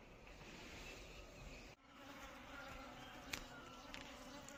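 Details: Buzzing of Asian honey bees, Apis cerana indica: a continuous low drone that cuts out abruptly for a moment, then resumes a little quieter. A sharp click follows later, over a hissy background.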